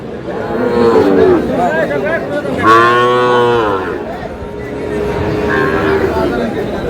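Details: Young bull calves for sale at a Comilla livestock market in Bangladesh, 10 June; one deep, full moo swells for about a second after a shorter call, while buyers and sellers haggle over prices nearby.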